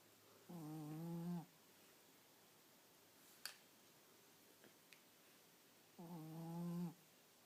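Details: Two long nasal snores from Nino, a sleeping Chihuahua, each under a second, buzzy and steadily pitched with a stack of overtones, about five seconds apart, separated by quiet breathing and a few faint clicks indoors.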